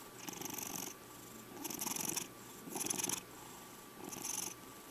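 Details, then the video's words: Checkers, a five-year-old male domestic cat, purring indoors; raspy purr in pulsing bursts, each lasting under a second with short pauses between, four bursts in all. "My Cat Purrring Over 2 Minutes!"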